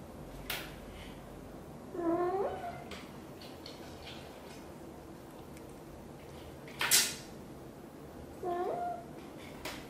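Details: While grooming tiny kitten Piano, blue golden British Shorthair mother Xaxa utters two drawn, wavering meows several seconds apart, separated by a few sharp knocks and clicks in a small indoor room.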